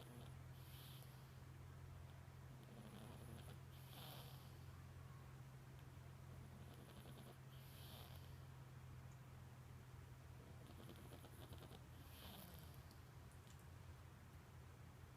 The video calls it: Boston terrier puppy snoring